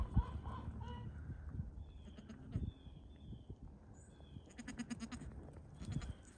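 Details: Baby Pygmy goat running and playing at a farm in Knoxville, Tennessee, USA: short, nasal bleats near the start and a wavering, harmonic-rich bleat later, over steady low rumbling wind and handling noise.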